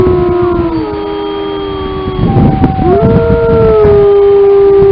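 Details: Lamar Canyon Pack wolves howling in Yellowstone: a chorus of several steady, drawn-out tones held together. One howl drops, pauses amid rough breathy noise, then rises again into a strong, level note.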